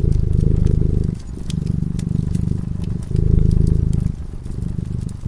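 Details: Cat asleep in front of a crackling fireplace, purring: a deep, steady low rumble that swells and softens in alternating phases about every second, with sharp crackles and pops from the fire scattered over it.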